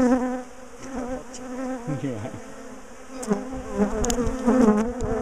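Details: Disturbed bees from a top bar hive colony during splitting and moving; loud, swelling buzz of many bees with gliding, warbling tones and a few clicks as the combs are handled.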